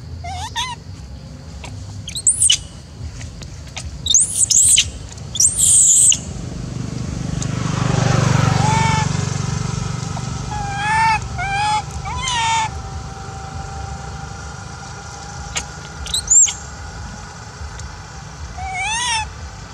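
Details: Macaque Elpida, golden female of the Maha Nokor group, upset and apparently jealous as old female Susie is fed: high squeaks, then a run of short wavering harmonic cries, over a passing vehicle-like rumble and a continuous low hum.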